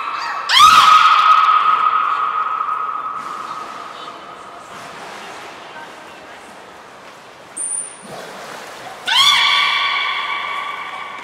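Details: Training of the belugas Hodoi, Gray and Mirai, kept at Port of Nagoya Public Aquarium, 1 December 2019: a long harmonic tone fades slowly, a brief very high pure whistle sounds, then a second rich tone begins. Voices murmur in between.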